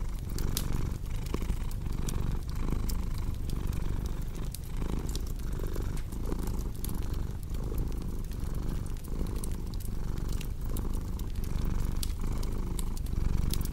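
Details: Cat purrs steadily next to a cozy fire, its low vibrating drone rising and falling in regular breathing cycles while bright crackles and snaps from burning wood scatter over the top.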